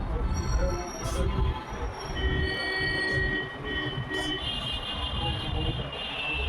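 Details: Rumbling rail traffic with high, sustained wheel squeals and metallic screeching, and no animal voice.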